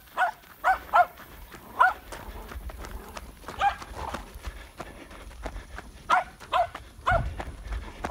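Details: Seven-month-old Patterdale Terrier puppy named Brody baying a wild boar hog it found in Florida, August 2019; sharp repeated barks in quick bursts, about eleven across the stretch, with a man urging the dog on.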